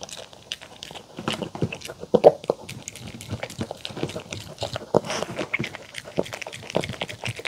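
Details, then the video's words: Mong, a poodle, eats homemade chicken tenders and a salad of apple, carrot and cabbage dressed with sweet pumpkin, egg and olive oil indoors. Irregular crunching and wet chewing clicks come every fraction of a second, some louder bites among them. "푸들 몽이 강아지 먹방 치킨텐더 샐러드 DOG ASMR MUKBANG eating show"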